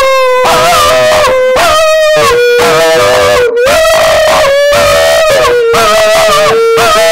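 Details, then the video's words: Pet Schipperke dog 'singing' indoors and rewarded with a treat afterwards: loud, sustained howled tones, each held about a second and gently sliding up or down, in roughly six phrases separated by short breaths. "Schipperke Singing"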